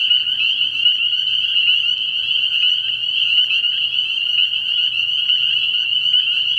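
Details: Spring peepers chorus from a frog pond at night early in the year: a dense wall of high, shrill peeps overlapping without pause, with a faint low throbbing pulse repeating underneath.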